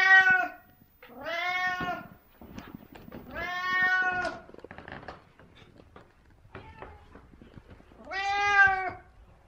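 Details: Very talkative 17-year-old cat meowing: four drawn-out, harmonically rich meows, each under a second, separated by quieter gaps with light rustling and faint clicks in the background.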